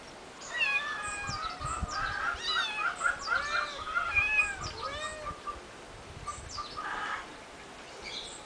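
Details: Three eight-week-old kittens on a finca, 11 May 2011: overlapping high, arched meows tumble over one another through the first five seconds, then quieter background with one brief call near the seventh second.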